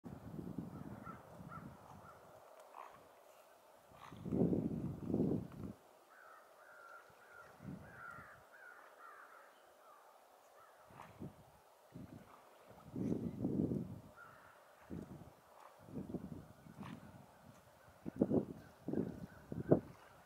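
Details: A pair of otters give harsh, caw-like squeals in short bursts, with thin high chirps between them.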